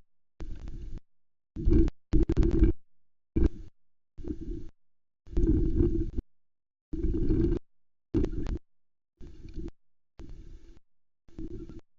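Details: Repeated bursts of deep, muffled rumbling and thumping, like wind buffeting or flapping against a microphone, with no animal voice.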